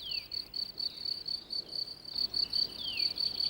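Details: Male crickets singing from their burrows in the countryside once the sun warms the ground. The chorus is a high, ringing chirping, rapid pulses in a steady unbroken stream, with a fainter higher tone above.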